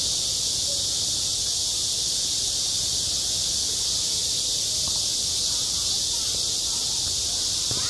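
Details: A steady, piercing drone of cicadas singing in summer at a school playground, even in loudness from start to end, with only a few faint ticks and knocks underneath.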